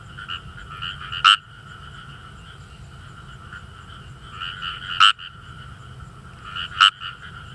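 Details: Kawamura's rice frog calling in a rice paddy in northern Saitama, Japan: close, loud bursts of fine rapid 'gue-gue' croaks, with three sharp intense pulses about every two to four seconds over a quieter background chorus.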